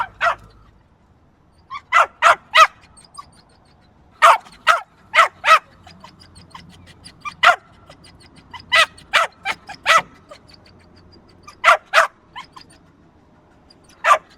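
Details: Persistent yapping from a small dog: clusters of two to four sharp, high barks repeating steadily for over fourteen seconds with brief gaps.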